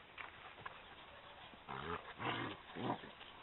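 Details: Maremma Sheepdog puppies, eleven weeks old, playing with their mother in a garden in September 2012; low, rough growls rise in three harmonic bursts over the last two seconds after a few faint thumps.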